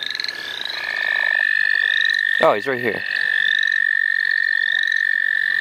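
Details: At the St. Olaf College Natural Lands, a frog chorus rings out as frogs are caught: one high, constant trill dominates, with faint rising chirps above it and a short spoken phrase in the middle.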